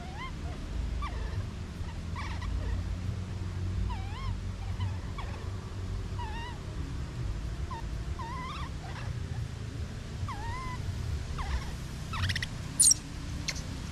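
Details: Infant monkey crying, separated from its mother: a long series of wavering, warbled whimpers, some looping up and down, coming every second or so, with a few sharp high squeaks toward the end over low background rumble.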